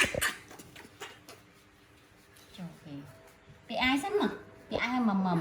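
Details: Young pet monkey making a sweet call, asking its mother for milk before bed: two drawn-out tonal whimpers that arch up and down in pitch, following a woman speaking Vietnamese and a quiet pause.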